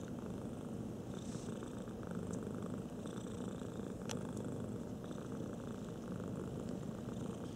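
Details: Close, unbroken purring from a pet cat, a deep pulsing hum steady in loudness, with one sharp faint click partway through.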